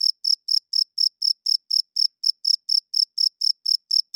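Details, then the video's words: Male cricket calling loudly at night with wing-rubbed chirps meant to draw females and establish territory; about sixteen crisp, shrill chirps spaced evenly near four per second, alone against silence. "Cricket Chirping Sounds - Cricket klinkt 's nachts luid"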